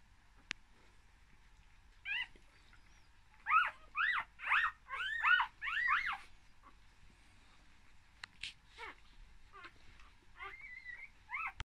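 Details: Newborn, one-day-old English Cocker Spaniel puppies, from a litter of four born in summer 2019 in Fife, Scotland, give thin, high squeaky whimpers in quick bursts, each rising then falling.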